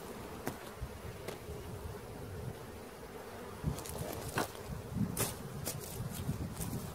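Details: Swarm of honey bees being caught, a low rumbling buzz with strong deep hum, punctuated by several loud clacks and scraping noises.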